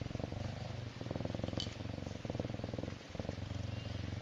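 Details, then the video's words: Myxa the serval purring contentedly, a close, even rumble of fast regular pulses that breaks off briefly near the middle and again shortly before the end, with one brief higher click. "Serval Myxa Feels So Good with Purring"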